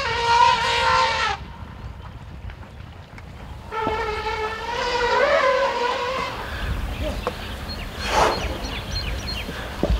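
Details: Running exuberantly around their sanctuary with other resident elephants nearby, Fah Sai and Dok Mai give joyful trumpets of happiness. A short brassy blare opens, a longer wavering trumpet follows after a quiet gap, then rustling, thuds and outdoor noise.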